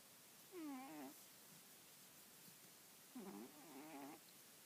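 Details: Female pet cat asleep atop an old newspaper, head resting on an arm, snoring softly: two nasal, wavering snores, the second longer and doubled, nearly three seconds apart, in a quiet room.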